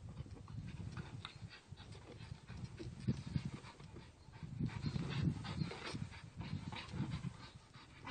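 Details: Staffordshire Bull Terrier playing with a tire, panting in quick, breathy, low bursts that come irregularly but continuously, with a few louder gusts of breath through the middle of the recording.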